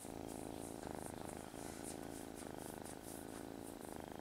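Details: Steady, rumbling purr from a kitten in a foster litter of three playing kittens named Bunny, Gator and Sassy, a continuous low motor-like drone with faint rhythmic pulsing and no other clear sounds.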